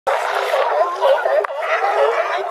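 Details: California sea lions hauled out on a harbor dock at Crescent City, California, with wind noise filtered out; harsh, overlapping barks blend into a continuous, dense chorus with no pauses.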